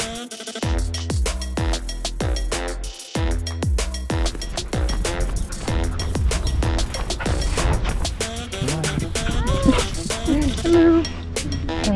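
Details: Upbeat electronic music with a heavy, punchy beat and bass plays throughout; no animal sound is heard.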